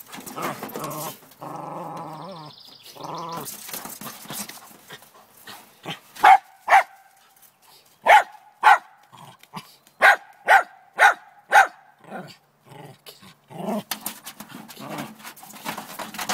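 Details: Female Lakeland Terrier in the morning, barking at a chipmunk hiding in a downspout, determined to get it: a drawn-out whining growl first, then a burst of about eight sharp, loud barks in quick succession, followed by scraping and rustling.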